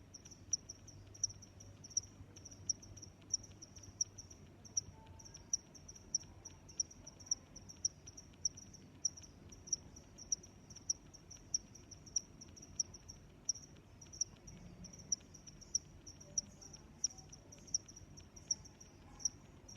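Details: Long run of cricket chirping: continuous high pulsed trill with crisp accents recurring every half second or so, steady throughout, over soft low ambient noise.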